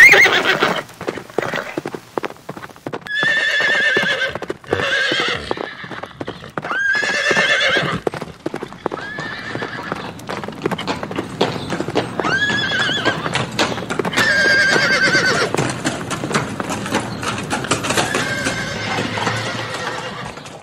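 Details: Neighing horses in a natural setting with galloping: repeated high, shaking whinnies with rich overtones cluster between 3 and 8 s, then more neighs around 12 to 15 s, backed by fast clip-clopping hooves throughout.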